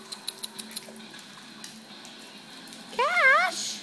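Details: Two dogs at play indoors, a pit bull called Kash and a Lhasa Apso called Dobby; near the end, one short wavering whine-like yowl swings up and down in pitch, after soft ticking taps and faint steady tones.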